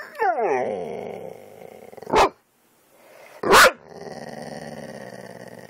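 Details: Reacting to dog videos, the pet dog Kane, recorded on an Android phone, opens with a sliding, falling whine over a growl, then two loud, sharp barks, each followed by a sustained, droning growl.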